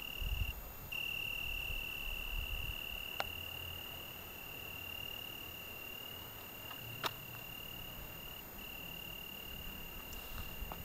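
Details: Italian tree cricket's continuous evening song in the Algarve in June, a level high trill sustained almost throughout, with a short gap at the start, quieter than nearby noise, plus a few sharp clicks and low background rumble.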